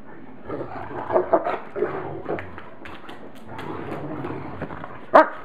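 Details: Great Pyrenees puppy Lucy in rough play with older Great Pyrenees Maggie, who sits on her to calm her, with Bogey joining in; scuffling thumps, soft grunts and whimpering yips, ending in one sharp high yelp.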